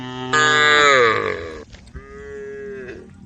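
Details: One cow of a tame group on the road calling the herd: a sudden loud moo gliding upward then breaking off, followed by a steadier, softer drawn-out low.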